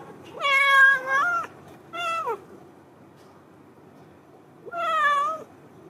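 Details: A big yellow cat waits at the outside door, as it does every day. It gives three clear meows: a long falling one, a short one, then after a pause another long, level meow.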